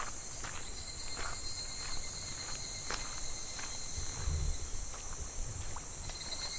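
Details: Midsummer cicada chorus beside a shallow, gently flowing clear stream in July, a constant sizzling high drone without pauses, faint clicks and taps, and a brief low rumble near the end.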